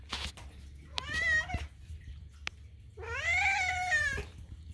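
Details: A pet kitten screams at food time indoors: a short meow, then a long, loud, wavering cry lasting over a second, with a woman's voice and soft music in the background.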